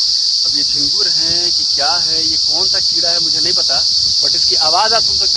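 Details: A loud, steady, piercing drone from a swarm of unidentified insects, possibly crickets, covering a gulmohar tree near an expressway hotel in Uttar Pradesh, India. A man talks over the continuous shrill hum.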